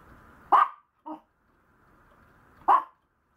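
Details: A Maltese puppy gives two sharp, high yaps about two seconds apart, with a softer, shorter yip between them, against a faint background hum.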